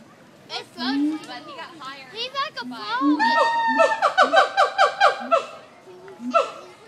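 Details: Captive siamangs at the Nashville Zoo: several rising and falling hoots, then a quick train of sharp, harmonic barks, with people's voices audible in the background.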